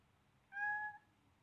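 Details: Seven-week-old blue-eyed Siamese kitten Selena meows while playing roughly with a baby duck: one clear, steady, mid-pitched half-second meow with rich overtones, in a quiet room.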